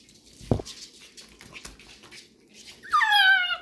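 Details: Labrador retriever puppies indoors, getting to know strange noises; after a sharp knock and quiet rustling, one puppy gives a high, falling whine near the end, drawn out and tonal, in a small room.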